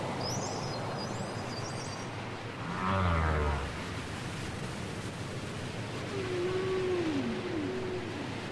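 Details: Whale song from a cassette recording: a low moan near three seconds, then a drawn-out wavering tone that dips and rises, over steady hiss and rumble.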